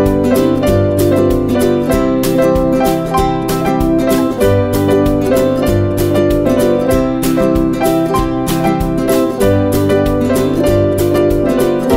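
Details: Bright, loud piano and plucked-string music plays continuously, with no barking or other animal sound.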